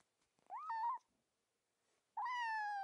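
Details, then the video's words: Two kitten meows: a short rising-then-flat mew, a pause, then a longer steady, slightly falling cry with many overtones. "Most adorable kitten noises! | kitten sounds for cat lovers"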